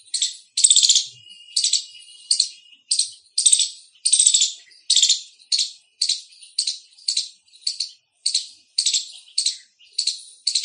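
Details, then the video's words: Indian squirrel chirping loudly, a steady run of rasping, high trilled chirps repeated roughly every half second to second, some shorter notes between, in a quiet background. "Loud Squirrel Chirping sound"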